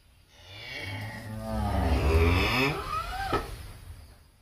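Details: Breeding cattle of BBB, Angus, Charolais and Brahman breeds at a Ba Tri farm give a long, deep, rumbling moo that bends in pitch and fills most of the recording, ending with a rising upward slide.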